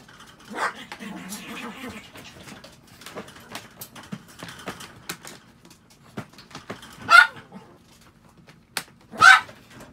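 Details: Pet Chihuahua giving a few short, sharp barks near the end, two bright bursts about two seconds apart, after a faint whine early on and scattered clicks and handling noises indoors.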